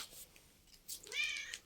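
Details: Mother cat giving one clear, drawn-out meow with a steady tone, after a short quiet stretch. A woman speaks Turkish to her and laughs softly nearby.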